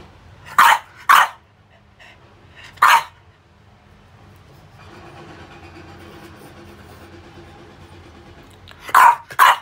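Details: French Bulldog named Pogi playing with rubber toys, giving sharp barks in pairs near the start, one lone bark near three seconds, then another pair at the end, with a quiet stretch of faint rustling between.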